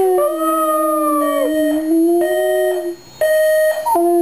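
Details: Pet dog howling along to a ringing alarm clock: long wavering howls that slide slightly down in pitch, over a steady high electronic alarm tone that cuts out briefly near the end.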